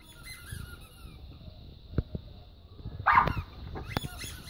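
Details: Staffordshire Bull Terrier puppies, five months old, indoors: a short, squeaky whimper bursts out near the three-second mark over quiet room hum and a few faint clicks.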